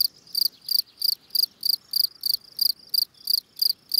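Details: Calling song of a field cricket (Gryllus campestris): high, shrill pulsed chirps repeating roughly three per second in an even rhythm, with only soft low rustle beneath.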